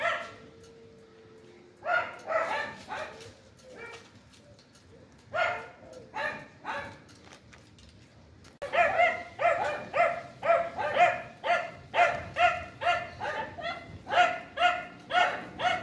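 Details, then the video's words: A red Chow Chow barks angrily in sharp, repeated bursts, speeding into a steady run of barks about twice a second. "CHOW CHOW BARKING"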